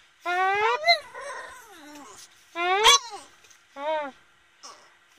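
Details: Boston Terrier howling: three harmonic, wavering howls of about half a second each, the middle one ending in a bent upward yelp, separated by quieter sighing breaths in a small room.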